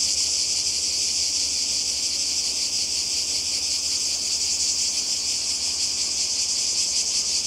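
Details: Croatian cicadas by the sea in summer: an even wall of high, dry buzzing with gentle pulsation, unchanging over the whole stretch, a faint low hum beneath.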